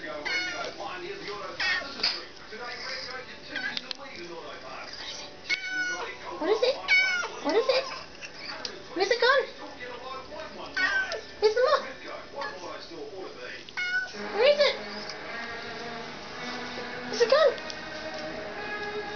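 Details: A small domestic kitten, excited by a moth it wants badly, gives repeated short rising-falling meows and odd chirping cries in bursts, with background music and speech throughout.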